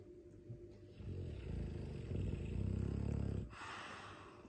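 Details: A sleeping Dogue de Bordeaux mastiff snoring loudly: a deep, rattling low rumble builds from about one second and holds strong until three and a half seconds, then drops to quiet breathing in a small room.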